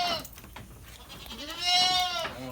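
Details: Goat on a livestock farm in Lhokseumawe, Aceh, Indonesia, raised for fattening; a single drawn-out, wavering bleat with rich harmonics rises and holds near the end, after quieter earlier sounds and faint background noise.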